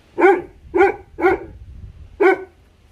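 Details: Tibetan Mastiff puppy, three months old, in Leh Ladakh, giving four sharp, evenly spaced barks about half a second apart, the last after a slightly longer gap, in quiet surroundings.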